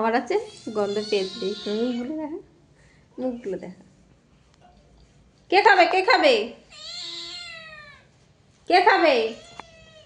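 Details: Indoor house cat calling insistently: a long quavering yowl, a short mew, then two more loud drawn-out meows with falling endings, separated by quiet pauses.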